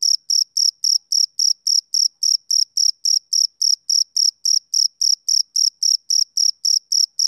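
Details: Male cricket chirping on a summer evening: short, bright, high-pitched pulses repeated steadily, nearly four per second, with clean silent gaps between them and no other sounds.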